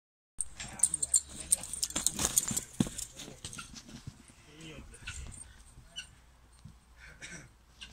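A camel gives rough, gurgling groans and bellows, with people talking nearby.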